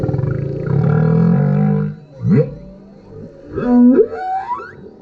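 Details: Male humpback whale singing beneath a kayak, recorded with a GoPro: a long low droning moan for two seconds, then sweeping upward whoops and a sustained mid-pitched tone ending in a rising glide.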